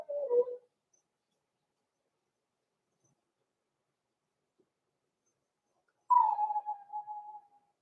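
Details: Blenheim Cavalier King Charles Spaniel puppies, born November 14, 2022, in an indoor puppy pen at Christmas time; a short wavering whimper, then a longer high whine that holds steady and fades away after a quiet pause.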